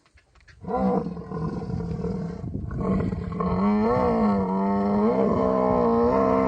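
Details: Camel in mating season in the Thar Desert, Tharparkar, Sindh, Pakistan, giving a long, loud, deep groaning roar that starts after a brief pause and holds steady with wavering, gurgling pitch for over five seconds.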